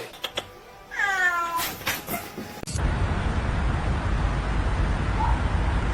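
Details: A domestic cat gives one short, falling meow with clear harmonics, preceded by a few soft clicks and followed by a long stretch of loud, steady rushing noise.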